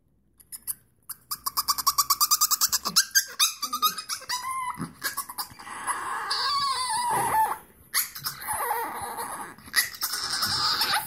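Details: Chihuahua giving dolphin-like calls indoors: a burst of rapid clicking pulses, then high squeaky whines and squeals that slide up and down, with short pauses between bouts.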